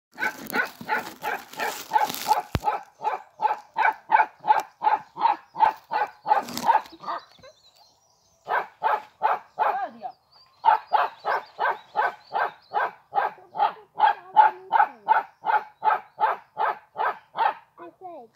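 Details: A Bakharwal dog, a Kashmiri Himalayan livestock guardian breed known for ceaseless barking, barks nonstop in a steady run of deep, hoarse barks, nearly three a second.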